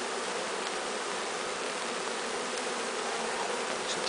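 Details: Swarming bees walking into a new hive give a thick, steady, unvarying buzz, a smooth wash of humming with no other clear sounds.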